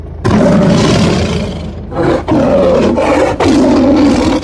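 A Bengal tiger gives deep, rasping roars in three long bursts, each rumbling and throaty.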